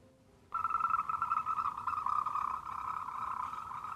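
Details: A Moltrecht's green tree frog gives a rapid, throaty run of pulsed croaking notes with a clean echo. It was recorded at night in a pitch-dark, very quiet mountain valley.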